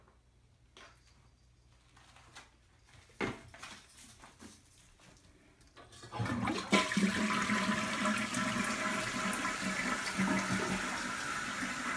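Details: Indoors, soft clicks and knocks give way to a loud rushing toilet flush with running water, and no animal voice is heard.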